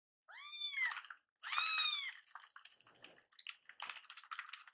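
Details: Hungry rescued kittens angry at a delayed feeding: two strong arched meows at the start, followed by clattering, rustling handling noise indoors.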